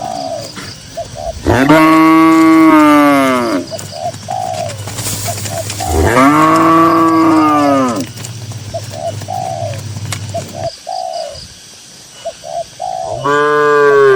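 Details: Cattle grazing in a green rural field. Two drawn-out, resonant moos, each about two seconds, arch up and then sag. A third begins at the end. Short, soft cooing notes repeat in the gaps between the lowing.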